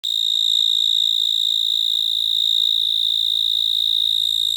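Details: Cricket chirping: a steady, shrill, high-pitched trill made of very rapid, even pulses, sustained without pause at constant loudness, with faint overtones above and no other clear sounds.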